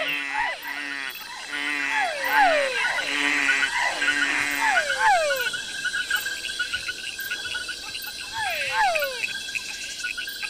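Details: A dense night chorus of hundreds of frogs and toads of many species in Ecuador's tropical forest, with repeated downward-sweeping calls over a steady insect-like hiss.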